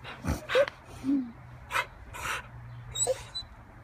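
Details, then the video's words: Beagle zooming about joyfully, giving short high whimpers and yips in quick uneven bursts, some with sliding whistle-like tones, over a steady low hum; a person calls the dog inside. "Beagle zooming"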